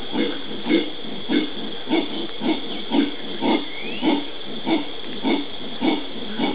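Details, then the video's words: Howler monkeys (genus Alouatta) recorded in the Pantanal of Brazil on 13 January 2011: evenly spaced deep, gruff pulses repeated about every half second, steady and rhythmic, with a faint upward whistle midway. "Howler Monkeys-monos aulladores"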